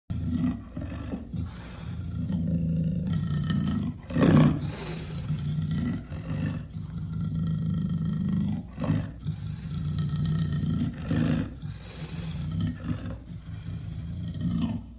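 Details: Leopard in a zoo at Ormanjhi, Ranchi, giving repeated deep, rumbling roars and growls, low and rough, with loud bursts around the fourth second and steady throaty calling throughout.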